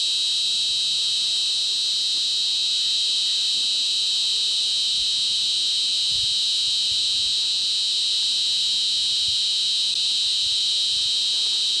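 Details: Clara cicada, a 23 mm species ranging from Afghanistan and Central Asia to the Middle East, Spain and North Africa, giving a continuous shrill, even buzz in stacked high bands, unbroken for the whole stretch.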